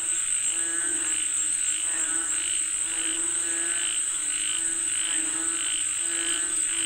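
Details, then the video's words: Frogs calling for rain, a chorus of croaking calls repeating roughly every half second, some rising and falling in pitch, set against a continuous shrill insect whine. "Listen to the Sound of Frogs Calling For Rain 🌧️🐸 เสียงกบเรียกฝนตก"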